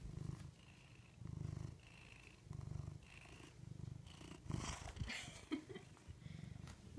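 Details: Pet cat purring steadily indoors, a low rumbling throb that swells and fades in a regular rhythm of roughly one cycle per second, with a brief rustle of handling partway through.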